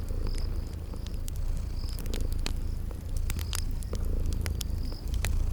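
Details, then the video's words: Sleeping cats purring in a cozy spring garden ambience: a steady low rumbling purr runs throughout, under sharp crackles and pops from a fireplace and short, high, repeated insect-like chirps. "Relax with Cute Sleeping Purring Kitties by a Crackling Fireplace"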